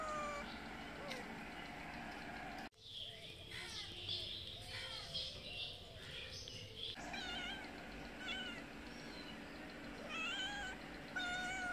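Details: Cat mother meowing for food; a steady run of short, wavering meows and chirps, partly masked by a broad burst of noise in the middle, with background hum throughout.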